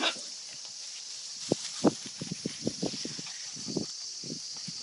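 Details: Kishu x Shikoku puppies from one litter, 52 days old, playing: a run of short, sharp yips and grunts, several a second and irregular, over a constant high, shrill insect chorus.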